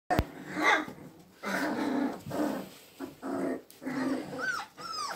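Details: Magyar Vizsla puppies indoors: low rumbling growly bursts in a small room, ending with two short rising-falling whines near the close.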